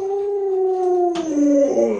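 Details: Indoor pet Alaskan Malamute Lolo sustains a steady howl with strong overtones, then shifts lower with a wobbling break and a brief noisy burst partway through.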